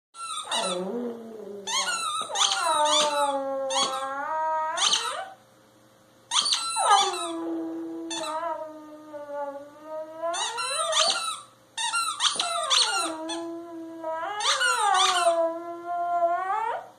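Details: A twelve-year-old Cairn Terrier howls joyfully in long, wavering notes between sharp squeaks of a toy he is chewing.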